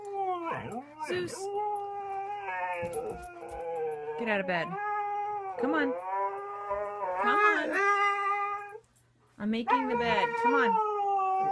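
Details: Chatty Siberian Husky 'talking' with a rapid string of swooping, moaning yowls that dip and rise in pitch, almost like sentences. A brief pause, then more warbling vocal phrases and a low background hum.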